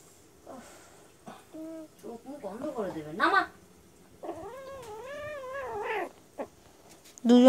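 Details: Two cat brothers fighting on a lap, giving drawn-out, wavering yowls and caterwauls that rise and fall in pitch, with short cries in between, and a person speaking nearby.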